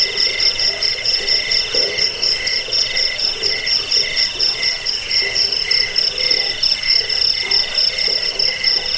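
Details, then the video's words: Cricket chirping as a rat-repelling, sleep-aid recording also used for training songbirds: dense, steady high trilling in several stacked pitch bands, pulsing in rough bursts about once a second, with a faint lower murmur beneath. "Suara jangkik"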